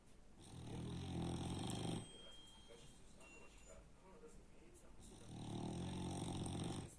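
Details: French Bulldog snoring very loudly: two long, rough, low rumbling snores with a buzzy harmonic texture, each about one and a half seconds, separated by a quieter breathy pause.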